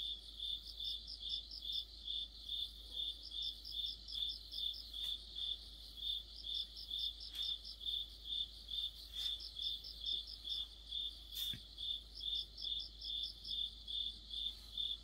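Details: Crickets and other insects singing together in autumn. Even high chirps repeat roughly twice per second while a shriller caller adds intermittent rapid bursts, with a few faint sharp ticks scattered throughout.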